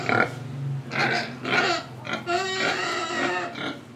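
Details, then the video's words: Pig in Indonesia giving loud oinking grunts, several rough nasal bursts in four seconds, ending in a longer harsh squealing grunt with a tonal edge. "Pig Sound Effects Oink Oink, Breathing & Eating"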